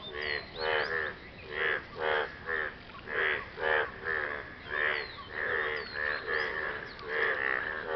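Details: After rain, a frog impresses its partner with loud, rough croaks: paired and single buzzy, nasal bursts repeated every half second to second, with soft higher squeaks between them.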